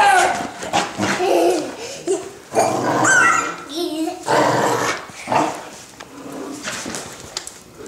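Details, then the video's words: Pit bull dog growling and barking while fighting a toddler over stuffed toys, very animated; rough, irregular snarls and short barks come in uneven bursts, mixed with a child's voice and adult talk. "Noisy Pit Dog vs Toddler"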